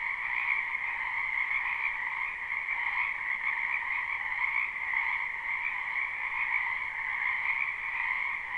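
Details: Spring frog chorus from a wetland, recorded live with no looping: countless croaking voices merge into a seamless, buzzy drone of two high pitches that swells gently and never breaks, free of other sounds.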